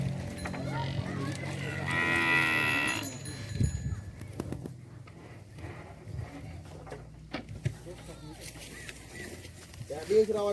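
A Bali cow gives one loud, rich moo that swells and fades, with murmured voices and farmyard noise after.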